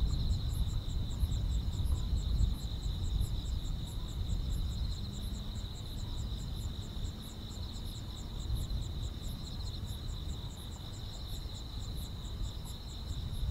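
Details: Grass insects sing through a summer night: a continuous shrill drone with brisk, irregular high pulses stacked above, set against a heavy low background rumble.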